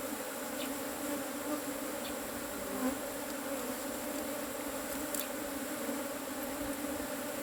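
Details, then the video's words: A cavity-nesting Asian honey bee colony being harvested for honey makes a continuous buzzing drone, even and layered with bright overtones, steady in loudness, with scattered faint ticks and a brief high click. "ตีผึ้งโพรง ເອົາເຜິ້ງໂກນ"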